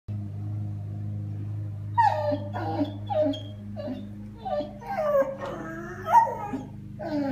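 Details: Two twin Basset Hound puppies yawn together, with squeaky, falling whines repeated roughly every second over a steady low hum.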